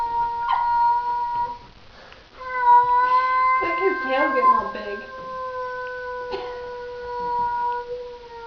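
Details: Housecat with a bristling tail facing an unfamiliar cat: a short moan, a pause, then a long, level, droning yowl of about six seconds, with a person speaking over its middle.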